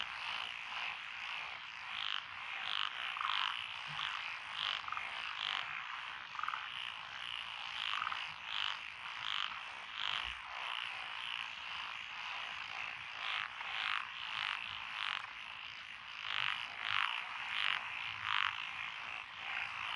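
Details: Frog chorus in lotus rice paddies along a country lane in Echizen, Fukui, Japan, 12 June 2021, with Japanese tree frogs, Tokyo daruma pond frogs, wrinkled frogs, Schlegel's and forest green tree frogs: dense overlapping croaks and trills, many callers at once.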